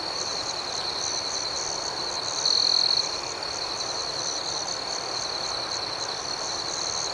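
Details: Nighttime crickets forming an unbroken shrill chorus, with one brief louder trill standing out in the middle of the steady high drone.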